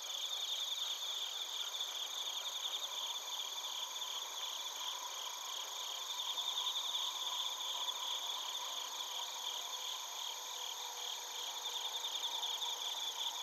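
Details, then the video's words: Bell crickets and other crickets chirping in Narita, Chiba, Japan, captured on a TASCAM Portacapture X8: a dense, shrill, continuous chorus of pulsed high trills layered over several steady ringing tones, with rapid repeated chirps throughout. "スズムシとコオロギの鳴き声 - Chirping of crickets"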